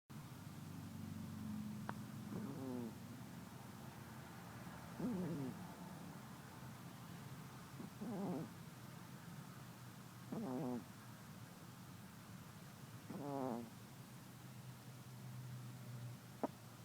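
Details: A small fluffy pet cat snoring while napping indoors: five short, raspy, buzzy snores come roughly every two and a half to three seconds, with quiet breathing in between.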